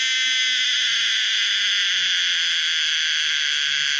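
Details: A Pomponia linearis cicada, a species found in Thailand, sings a loud, steady, high-pitched buzzing drone; the sound was made from scratch rather than recorded.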